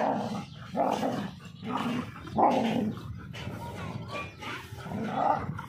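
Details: During an Indian dog fight, as a mother teaches her puppy to fight, muffled growling barks recur roughly every second, rising and falling, over a steady low background rumble.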